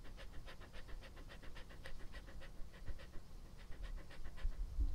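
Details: Pet dog Epo panting close to the microphone in an ASMR session, a fast even run of airy breaths with a brief faint squeak near the end over low hum.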